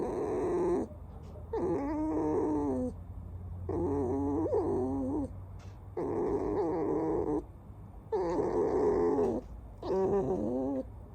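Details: Squeaky whining from Alice, a pet fox: a series of about six drawn-out, quavering squeals, roughly every two seconds, some wavering and dipping, over a low steady hum.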